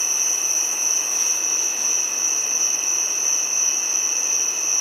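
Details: A giant cicada's continuous shrill drone: one bright sustained tone with a weaker lower band, level and unchanging throughout, over faint background hiss.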